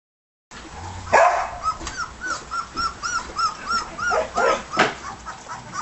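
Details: Red and white border collie pups, 18 days old, eating a solid meal; high arched whimpers and squeaks repeat about twice a second, with soft rustling and a louder burst near the start.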